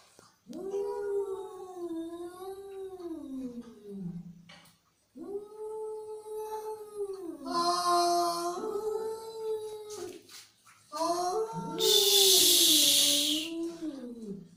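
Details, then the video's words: Angry cat yowling in three long, wavering, drawn-out moans separated by brief pauses, with a loud hiss breaking through during the final yowl. "Cat Voice | Angry Cat Sound"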